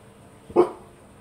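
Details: Mini French Bulldog, determined and stubborn, spotting a flower and climbing the plant, lets out a single short, sharp bark against a quiet background.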